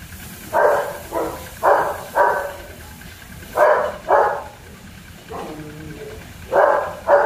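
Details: Puppies of the German Shepherd breed at Zondiram Kennel give spaced barks, often doubled, with quiet gaps between them and a low steady hum underneath.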